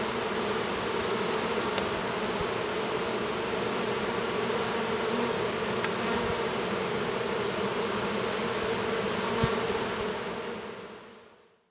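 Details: Honey bee drone emerging from his cell at an apiary near Duluth, Minnesota; a continuous droning buzz with a few faint clicks scattered through it, fading out at the end.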